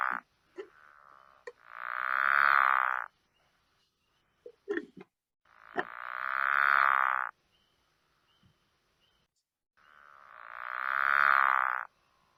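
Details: Pickerel frog (Lithobates palustris) gives a snore call: fast, very even snores, each about two seconds long and repeated every few seconds, like a child making a race-car noise.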